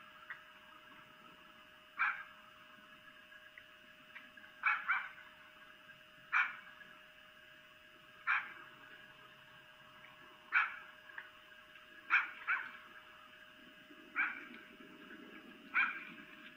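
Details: Red fox vixen calling for a mate at night, Lolo, Montana, via webcam: harsh single and doubled screeches spaced about two seconds apart, over a steady mechanical hum.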